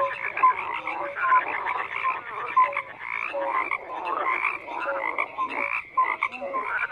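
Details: Many frogs croaking together, a busy mix of rasping pulsed calls and brief clear notes, with louder individual croaks standing out now and then.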